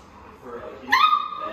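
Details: Labrador Retriever puppies, seven weeks old, one giving a short rising yelp that holds a steady high whine for about half a second, after quiet murmuring and a woman speaking softly.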